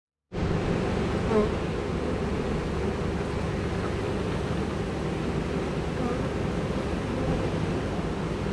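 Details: Honey bee swarm of about 20,000 workers and one queen, the queen walking into the hive: a dense, steady, low droning hum of many wings fills the whole clip without pause.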